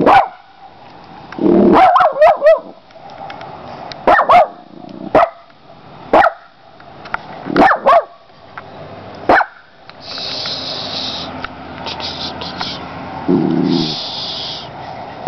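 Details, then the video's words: Molly, a pet dog with her feet on the edge of a window screen, eager to go outside after something down the street, barks in short sharp bursts, some doubled, scattered across fifteen seconds, with a hissy noise near the end. "Barka Barka Barka Molly"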